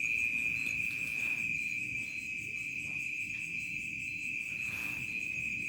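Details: Crickets at dusk turning to night in a remote village: a steady, high, shrill trill that pulses without a break, with a fainter higher ringing tone above it and little else.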